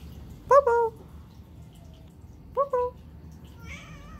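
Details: A male Turkish Van cat gives two short, clear meows, each breaking into a quick two-note mew, then cleans his face.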